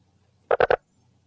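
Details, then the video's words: A gladiator frog from Panama calls, giving three quick, hollow, knocking notes in a tight burst. "This is the call of my favorite species from Panama, the gladiator frog."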